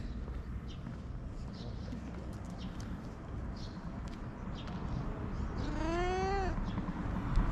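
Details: A fluffy cat in Japan meows once, a short, bright, slightly rising cry near the end, over a constant hiss of background noise.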